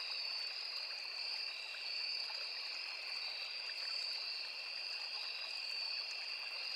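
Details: Continuous cricket chorus in a forest beside a small river: two steady high-pitched shrilling tones that drone without a break, mixed with the gentle background rush and trickle of stream water.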